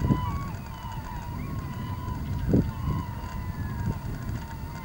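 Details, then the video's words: Beluga whale in the Naknek River, 8:30 am on 24 April 2015: a long, steady mid-pitched whistle with faint wavering overtones, a few soft rising chirps, and occasional dull low knocks and rumbling water noise. "Beluga whales in Naknek River"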